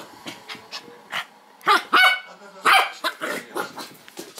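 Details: West Highland White Terrier, a pet dog acting crazy, giving a run of short yipping barks and whimpers, several louder harsh barks in the middle, with faint rustling between.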